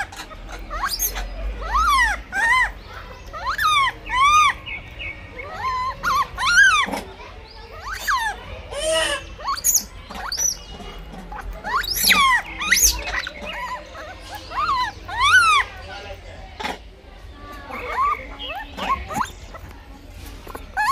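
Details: Blind infant monkey struggling over food, crying in repeated high, bent squeals that climb and drop, about two dozen in irregular bursts, some overlapping, with faint thumps and a low background rumble.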